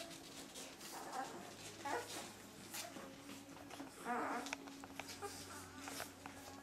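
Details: Two-week-old puppies from a litter of thirteen born to Limit, indoors in a small room: short, mid-pitched whimpers and squeaks come in bursts around the first, second and fourth seconds, with human speech and household noise in the background.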